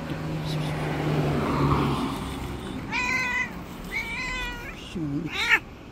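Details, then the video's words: Street cats outdoors, including an angry white cat that bullies the others; three clear harmonic meows in quick succession, the last dipping low, against a background of traffic noise. "Angry White Cat, Bully of Street Cats."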